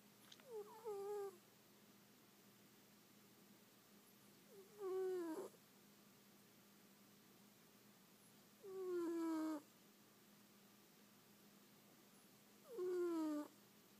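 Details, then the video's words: A kitten snoring while asleep: squeaky, whistled nasal tones that slide downward and end in a flat hum, with four breaths spaced about four seconds apart and quiet between them. "Snoring kitty face"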